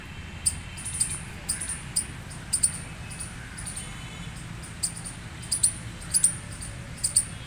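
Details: Scattered loud chirps from a gray squirrel, some single and some doubled, spaced irregularly over continuous low background noise.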